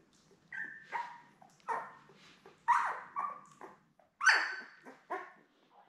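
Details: Newborn Labrador Retriever puppies, a litter of seven born May 24, 2021, with their mother Belle indoors: a handful of tonal whining cries, some held and some short, rising and falling, spaced about a second apart in a quiet room.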